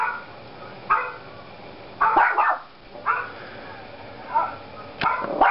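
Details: Yorkshire Terrier puppy barking indoors at another dog shown on a computer: short, sharp, high yapping barks in bursts about once a second, roughly seven in all, over a steady background hiss.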